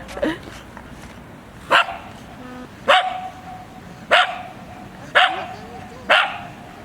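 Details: Shiba Inu named Shiiba, recorded 4 January 2017, giving six sharp barks spaced about a second apart, each a bright burst followed by a faint whining tail, over a quiet room background.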